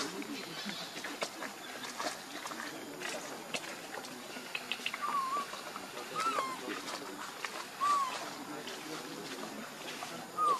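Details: Baby monkey Lucie, very hungry and stealing milk from Libby, gives a few short, soft whistled coos that rise then fall, spaced one to three seconds apart, over rustling, clicks and background voices.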